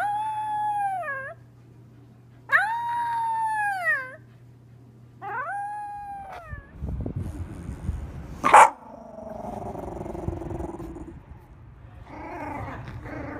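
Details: Shiba Inu giving drawn-out, wavering howls, three long arching cries in a row over a low electrical hum, followed by rustling, a sharp knock and softer muffled vocal sounds.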